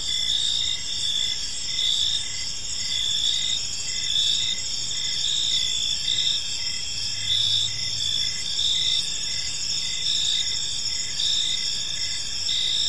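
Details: Crickets chirping in a park in the evening, a steady high-pitched chorus of overlapping trills with pulsed bursts layered above a continuous shimmer, soft low background hum throughout.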